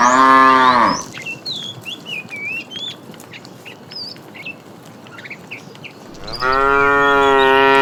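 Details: Tame cows being herded in the morning toward green grassy fields: a short harmonic moo opens, followed by chirping birds in the background, then a second long, steady moo begins near the end.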